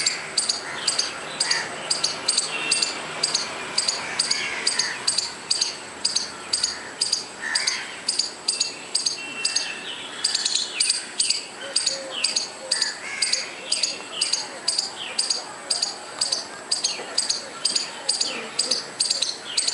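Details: A squirrel calling: a long, steady run of shrill, clipped chirps, about two each second for twenty seconds, with softer bird notes sliding in and out of the background.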